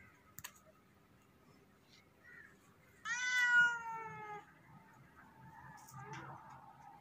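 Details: Cat giving one loud, drawn-out meow lasting over a second, its pitch sliding gently downward, over a low background murmur with faint scattered noises.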